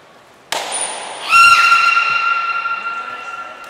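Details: Belugas Gray and Mirai during training at Port of Nagoya Public Aquarium, 22 August 2022: a brief thin high whistle, then a loud sustained harmonic tone with clear overtones that holds steady and slowly fades over two seconds.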